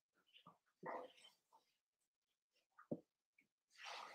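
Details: Cavalier King Charles Spaniel puppies playing together in a home puppy pen, raised indoors: scattered short high yips and squeaks with quiet gaps, one sharp yelp near three seconds, then a burst of broad rustling noise.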